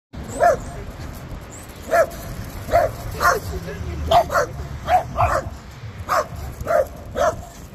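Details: A young black-and-silver female Miniature Schnauzer at home in Cape Town, South Africa, barks at other dogs in sharp, high yaps, repeated roughly every half second to second.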